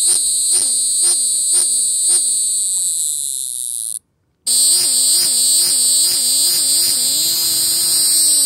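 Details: Cicada calling: a loud, steady high-pitched buzz with a lower wavering warble pulsing about twice a second, cut off by a brief silent gap midway before resuming.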